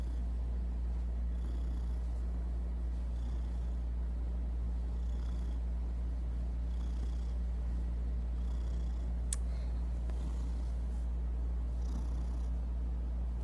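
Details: Kevin, a pet cat, purring steadily indoors: a continuous low rumbling drone with soft rhythmic pulses of breathing, faint higher hiss bursts at intervals and a brief sharp click near the end.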